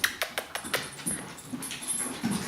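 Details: Puppies whimpering: short, high yelping whines repeated several times a second in uneven bursts, with fainter soft whines between them, in a small indoor room.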